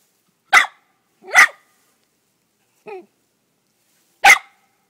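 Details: Dog barking at a gopher it caught: four abrupt, explosive barks spread over roughly four seconds, with a softer, short yelp between the second and last.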